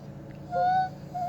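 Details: Kona, a dog, singing opera on request: a clear, steady howl-like tone held for about half a second with faint overtones above it. A second, similar note starts near the end, over a low constant background hum.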